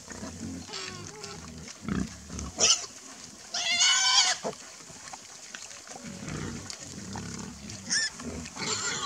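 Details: A herd of wild boar interacting near a pond grunt and give shrill, harmonic squeals, with one loud squeal rising above the rest.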